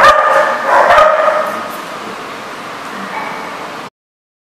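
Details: Dogs yapping in rapid overlapping bursts at about four per second, the chorus strongest at the start and then tapering into softer, steadier yips before stopping abruptly.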